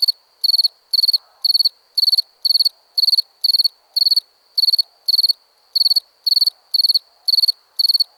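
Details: Continuous cricket chirping: high, shrill pulsed bursts repeated about twice a second, with one slightly longer pause midway, and a faint low rustle underneath.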